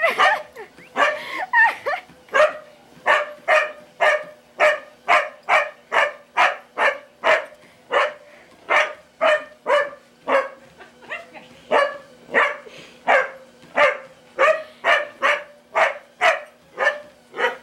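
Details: Pet dog barking wildly as its owner's mother walks on a treadmill; sharp, loud barks repeat in a fast steady stream, roughly two per second, with brief pauses, over a faint constant hum.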